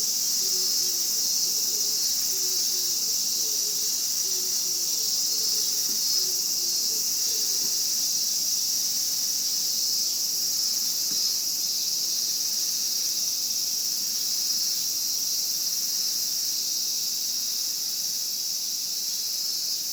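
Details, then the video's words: Continuous hissing drone of Japanese cicadas, very high and even in loudness, while a quiet run of low chirping notes appears early on and then fades. "Japanese Cicada Sound Effect"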